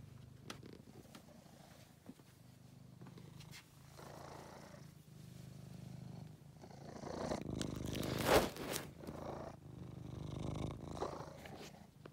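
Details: Angelus, a rescued male pet cat, purring close by: a low vibrating drone pulsing with his breathing, overlaid by rustling and a sharp crackle of movement around the eighth second.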